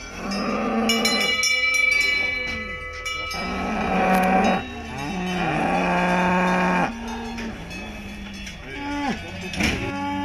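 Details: Salers cattle at a cattle show in Pleaux, Cantal, France, on 13 August 2022. Several deep, drawn-out moos overlap and follow one another, some rising and falling. Cowbells ring throughout.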